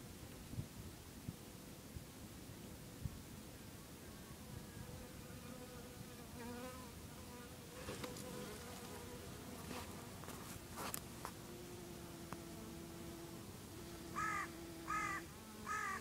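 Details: Honey bees at about 8 am in the early morning, a steady low droning buzz shifting in pitch as insects pass, with several harsh bird calls repeated near the end.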